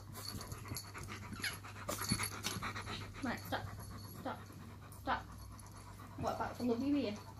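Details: Pet German Shepherd and Chihuahua, Shadow and Poppy, squabbling over their owner with irritated grumbling; breathy panting and scattered clicks give way to a wavering, quavering whine in the last second, over a constant low electrical hum.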